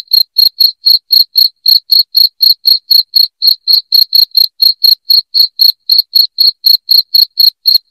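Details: Continuous loud cricket chirping for scaring away household rats, crisp high pulses repeating evenly about four times per second without pause or any background noise.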